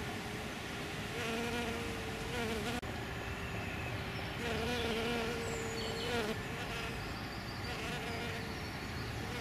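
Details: Hairy-footed flower bees, males and a female, feeding on Green Alkanet flowers in spring: two steady, low droning buzzes of about two seconds each, wavering slightly in pitch, over constant hissy background noise.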